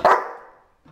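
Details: Five-month-old Belgian Malinois puppy during a training session: a single sharp bark that quickly fades into a short ringing tail, with quiet after.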